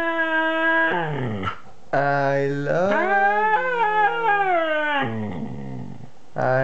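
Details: Siberian Husky, two years old, howling and talking in a long, expressive sequence: a steady note dropping into a growly dip, then rising, wavering woo-woo howls and a sliding fall.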